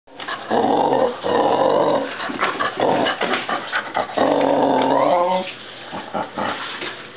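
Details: Pet dog growling in long, rough, throaty bursts with strong harmonic tones, three drawn-out growls separated by short breaths and broken snarling sounds.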